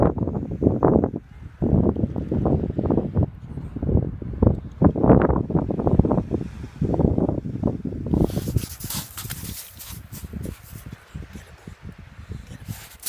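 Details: Jodie, a female Boxer dog, throwing a tantrum while having fun on the beach: loud, rhythmic grumbling bark-like bursts about once a second, giving way after eight seconds to broad hissing wind or surf noise.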